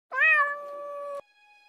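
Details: Cat at eating time: a single clear meow about a second long, rising briefly then holding steady and cut off abruptly, followed by a faint steady tone.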